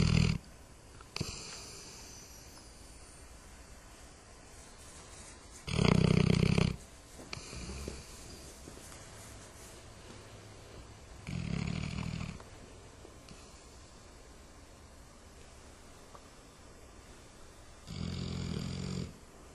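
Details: Dog snoring: a few loud, rasping, low snores spaced several seconds apart, separated by quieter breathing and a steady hiss of background noise.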